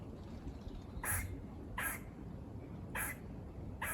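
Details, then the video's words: Four rasping, buzz-like barks from squirrels near farmland, each a brief noisy burst spaced roughly a second apart, with a dull low hum running underneath. "Squirrel barking calls"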